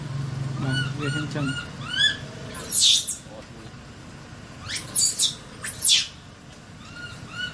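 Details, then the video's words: Crying baby monkey, trapped and pitiful, gives loud shrill screams in a cluster, two close together near the end, preceded by quick stacked chirps and a brief low hum. "The Baby Monkey Was Trapped, Crying And Calling For Help"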